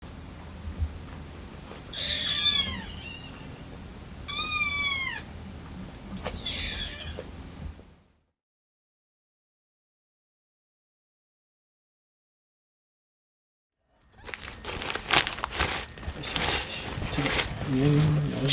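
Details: Rescued kitten Lucy, on her 25th day in care, meows with other kittens while waiting for milk to cool; her eager cries sound vibrato-like, as if a small bird were singing. Three wavering, high meows fill the first eight seconds, then silence, then loud rustling noise.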